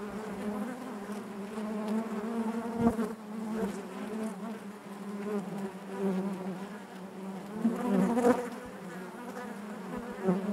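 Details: A natural hive buzz from honey bees, a thick and even low hum layered with overtones, with small surges in loudness near three and eight seconds as bees pass close.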